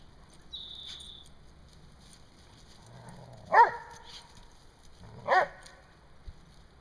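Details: Rhodesian Ridgebacks chest-butting in play; two sharp harmonic barks about two seconds apart after a low growl, with a short whistle-like squeak early on.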